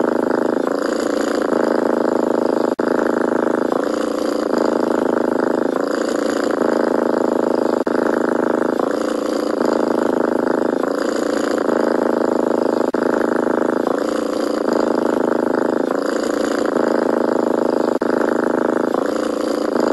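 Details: A young stray cat purrs without pause for twenty seconds, its rough buzzing hum swapping between two tones every one to two seconds in a steady breathing rhythm, close and clean with nothing else audible.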